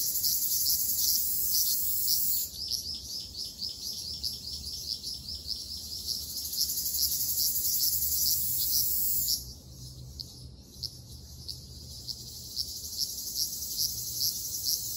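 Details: Summer forest chorus of Ryukyu large brown cicadas in Okinawa: loud, high, rasping song with evenly repeated pulses, several per second. It softens suddenly after about nine seconds into a quieter, continuing drone.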